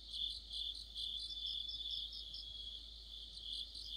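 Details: Crickets joined by other insects singing in deep autumn near a streetlamp, a constant piercing trill under pulsing high chirps that rise and fall in volume over a few seconds.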